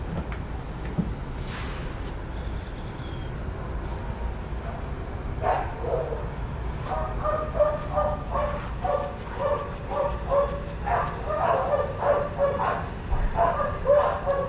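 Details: Shelter dogs at play in a daycare, running together: after a quieter start, a rapid run of sharp barks builds from the middle onward, roughly two per second and growing louder, with a constant low hum behind.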